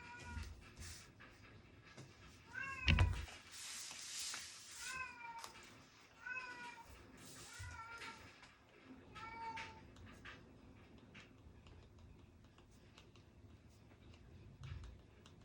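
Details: Indoor domestic cat crying repeatedly while someone studies: about six short, wavering meows spread over several seconds, with a sharp thump early on, scattered desk clicks and faint low room hum.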